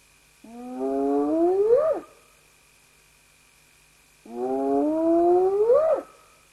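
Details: Two spotted hyena whoops a few seconds apart, each a smooth, rich, upward-sliding hoot with clear overtones. Each climbs over about a second and a half, then breaks off sharply, with quiet between calls and a faint constant hum.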